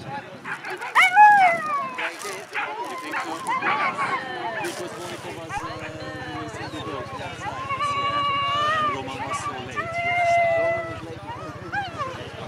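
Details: Whippets Fierce Fireball Crybaby and Fierce Fireball Blaze at the FCI European Championship 2018: excited high yips and drawn-out tonal whines, some rising and falling, over steady voices of people talking nearby.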